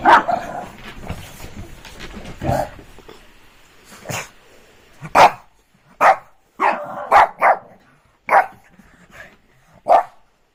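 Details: Shih Tzu dog barking during rainy evening playtime: after a few seconds of soft rustling, sharp single barks come every second or so, about eight in all, with quiet gaps between them.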